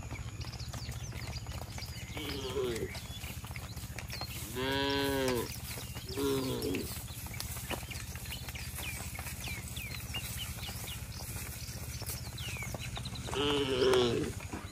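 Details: Herd of tame cattle returning to the shed in a village, calling each other. Several short, arched moos spaced through the recording over a steady low hum, with scattered bird chirps.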